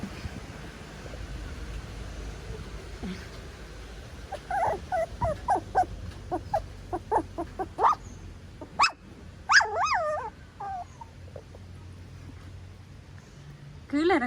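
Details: Pomeranian puppy whining in a series of short rising and falling squeaky notes through the middle, with quiet stretches of room noise between and a final louder whine.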